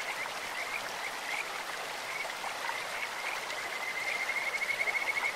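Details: In a clear mountain stream a Kajika frog gives short high whistled notes that build into a quick, rattling pulsed trill at the end, set against continuous running water.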